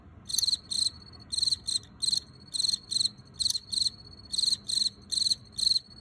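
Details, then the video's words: Wild-caught male field cricket (Teleogryllus, possibly T. occipitalis) chirping inside an earthenware jar: bright, high pulsed chirps of three or four rapid pulses, about two per second, repeated steadily with short silent gaps, no other sounds. "油葫芦在陶罐里鸣叫 Field Cricket (Teleogryllus) chirping in jar"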